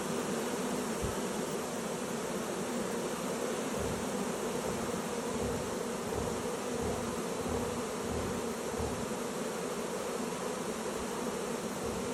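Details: A honey bee swarm entering a new hive: countless bees drone together in a thick, continuous low hum that never breaks, with bees passing close now and then and briefly swelling the sound.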